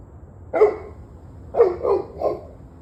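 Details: Barking dog on the evening of 21 November 2023: one bark, then a quick run of three barks in succession, each short and gruff, over low background hum.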